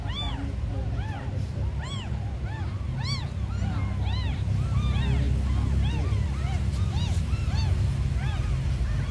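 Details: Abandoned tiny kittens crying continuously, high arched mews tumbling over one another about three a second, several voices overlapping, with a steady low engine-like rumble beneath.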